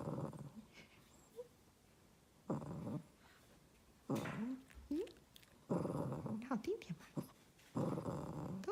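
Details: A Shih Tzu makes low, rumbling grumbles broken by short rising whines while its owner playfully coaxes it to "sing" more nicely.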